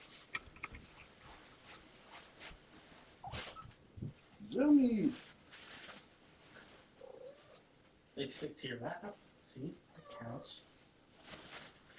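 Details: Kittens indoors at bedtime, checked on after a vet visit for their shots. A single loud, drawn-out meow rises and falls once, surrounded by a person talking softly to them and faint rustling.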